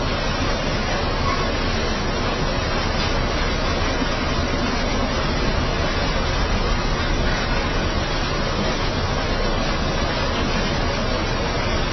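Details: Steady broadband noise like a passing vehicle or surf fills the whole recording, with no animal calls heard.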